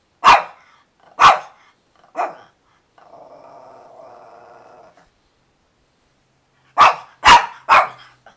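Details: Chloe, a dog wanting filet mignon flavored chewy treats, gives three loud barks, then a steady two-second growl, then three quick barks close together.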